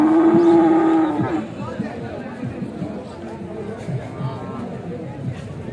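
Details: Cow at a Bangladesh cattle market during unloading from a truck; one strong, steady, low moo lasts about a second at the start, then fades into background chatter and voices of people.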